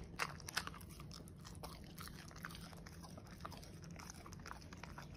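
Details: A corgi chews steak: sharp, irregular crunching and wet biting sounds over a low steady hum.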